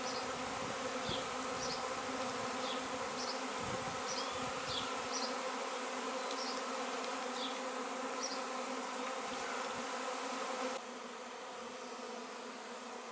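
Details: Droning honey bee swarm, 26/5/2013, following its queen into a cardboard box before moving to a new hive: an even, sustained hum with steady layered tones, faint low thumps, and brief bird chirps sounding early on.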